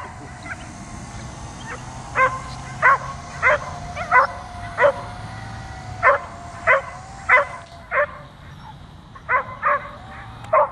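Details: Continuous barking from a dog jumping at an overhead drone: punchy single barks spaced about half a second apart, with a short gap near the middle, set against the droning whine of the aircraft.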